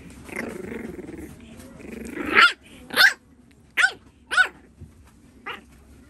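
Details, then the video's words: Crybaby French Bulldog puppy whining and yelping: a low grumbling whine builds, then five sharp, high, descending yelps spaced about half a second to a second apart, ending with a softer yelp. "フレンチブルドッグ ちょっぴり泣き虫くん☆"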